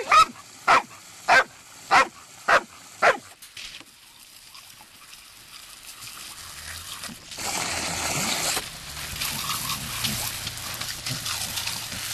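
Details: Female Labrador Retriever outdoors on a hot day, playing with a water hose after agility practice and barking to demand water. Six loud, sharp barks come at an even pace of about one every half second, followed by hissing spray noise.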